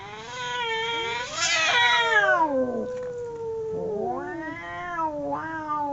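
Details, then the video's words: Two domestic cats fighting: overlapping drawn-out howls, one voice gliding up to a strained high peak then sliding down while a second steadier wail holds lower, then two shorter rising-and-falling yowls. "Two cats howling cats fighting sound"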